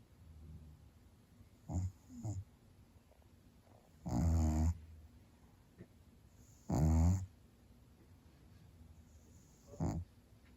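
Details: Domestic cat snoring contentedly while apparently dreaming, front paws twitching and whisker pads moving, cat currently on a diet; low rasping breaths in irregular bursts, two long snores a few seconds apart plus softer shorter ones, quiet room.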